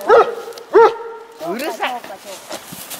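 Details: An 11-year-old pet dog, excited and wanting the ball held in another dog's mouth, gives two sharp high whines in quick succession, followed by softer murmuring that sounds like a person talking.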